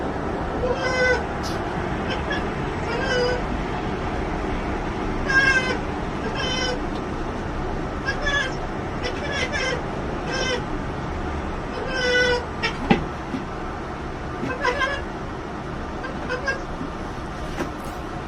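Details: Cat. A domestic cat chatters, giving rapid staccato runs of clicking, bleat-like chirps in short clusters. This chattering is the excited sound cats make on spotting birds, set against a steady faint hum.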